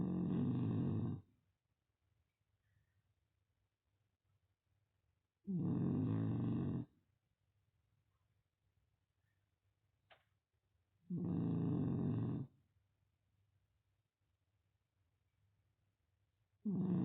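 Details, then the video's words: Beagle puppy Yfke snoring while asleep: loud rough rasping snores about a second long, returning roughly every five to six seconds, with near silence and faint breathing between them. "Beagle puppy Yfke 🐶 Snoring her nose off -again-"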